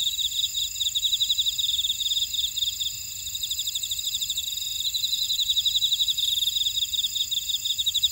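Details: Insects chirring in a Jeju buckwheat field, Ora-dong, South Korea; continuous shrill pulsed trilling in stacked high bands, one strand briefly dropping out near three seconds before returning, otherwise unbroken.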